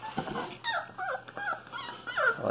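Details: A litter of 23-day-old Cane Corso puppies making a run of thin, sliding whines and squeaks, several rising then falling, repeated about every half second, with soft human murmuring in the background.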